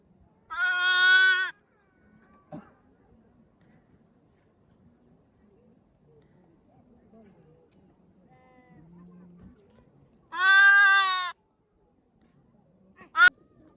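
A newborn lamb gives two loud, bleating baas about ten seconds apart.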